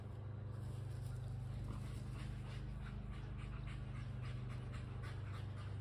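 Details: Panting from a Kelpie cross and a Border Collie chasing a tennis ball: rapid, steady breathy puffs, several per second, over a constant low hum.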